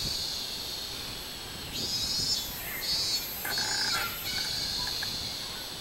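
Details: Robust cicada (minmin-zemi) on 24 July 2016: a continuous high buzzing drone, broken midway by a few louder pulsed bursts about half a second apart, then settling back to the steady buzz.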